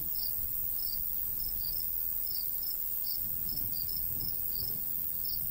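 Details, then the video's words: Summer countryside crickets near a golden wheat field in a light breeze, giving short high-pitched chirps in loose clusters across the clip, with soft low wind noise beneath. "Countryside/cricket sounds"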